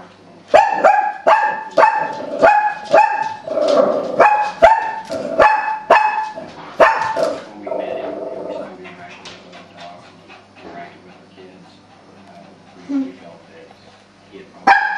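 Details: Female Shih Tzu barking at animal programmes on television: a run of sharp, harmonic, high yips and barks about every half second for seven seconds, then quieter television sound and voices with a final bark.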